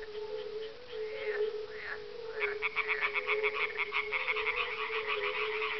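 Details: On a mild dusk, 30 May 2011, at a glacial kettle pond in farmland near Parstein, Schorfheide-Chorin Biosphere Reserve, northeast of Berlin, a single edible frog joins in with a rattling, pulsed croak over a mellow hum of fire-bellied toads.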